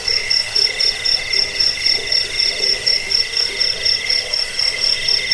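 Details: Rapid cricket chirping, about four shrill pulses a second, from a recording said to chase away rats, ease sleep and tutor songbirds. A steady, lower ringing drone runs underneath.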